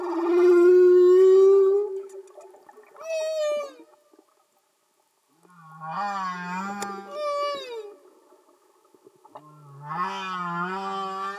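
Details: Singing humpback whales underwater: a loud sustained tone, a short falling squeal, then repeated pairs of low rising moans with harmonic-rich overtones, phrases separated by brief silences.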